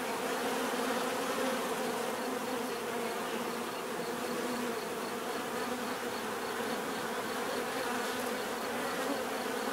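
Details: A swarm of bees gives an unbroken buzzing hum, many overlapping wingbeat tones blending into a thick, even drone with a faint high hiss above.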